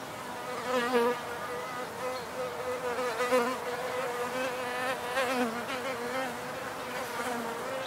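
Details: Wild bees in a field recording of pure nature sounds made with simple gear; a wavering buzz with stacked harmonics rises and falls repeatedly as bees fly near and away.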